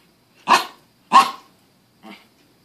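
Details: Chihuahua named Nala, a bossy female pet dog, barking indoors because she wants some Pringles chips her owner is eating; two sharp loud barks about half a second apart, then a softer third bark, with a person asking what she wants.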